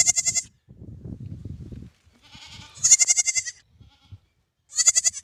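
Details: Newborn lamb bleating: three short, high, nasal bleats with rich harmonics, near the start, middle and end, separated by pauses with soft low rumbling and shuffling between them.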